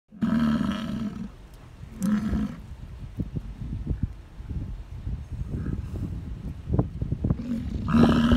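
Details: Bull American bison in the rut, calling to attract females: deep guttural roars in two bursts near the start and one at the end, with scattered low thumps and rustling between them.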